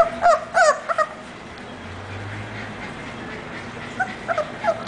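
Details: English Bulldog puppy named Orzo whimpering: three quick, high, nasal whines in the first second, each bending upward, then a quiet stretch and a few softer whines near the end.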